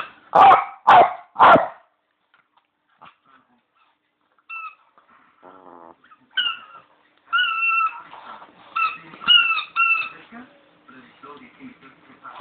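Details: Bichon named Leo at play with his squeaky toy bone; three loud, sharp barks in quick succession open, then quiet, followed by repeated high two-tone squeaks from the toy.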